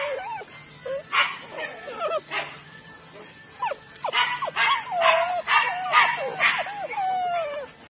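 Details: Litter of Weimaraner puppies born 23 June 2017 whimpering and yipping: curved, sliding whines and short squeals, a quieter stretch midway, then a busier run of yelps, with faint high chirps in the background.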